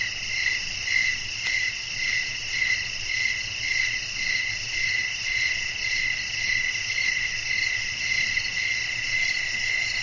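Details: Crickets singing at night, with wind in the setting: an even, high-pitched pulsing trill repeating almost twice per second over a dense, unbroken upper shimmer, one brief click near the start.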